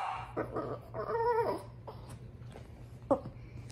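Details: Female French Bulldog fretting over her toy, heard fairly faint: a few soft whimpering whines, one drawn-out tonal whine in the middle, then a single short yip near the end over a noisy background hum.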